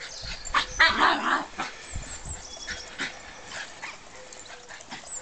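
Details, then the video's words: Two dogs playing tug together, a Border Terrier/Whippet cross foster rescue dog and a young Border Terrier pup; rough growling and snorting bursts with short yips, loudest near the first second, over steady background hiss. "Playing Tug"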